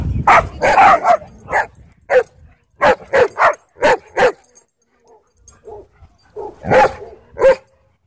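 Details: Angry dog at a dog park barking in loud, harsh bursts, several quick barks in a row, then a short pause with softer yelps before another pair of sharp barks.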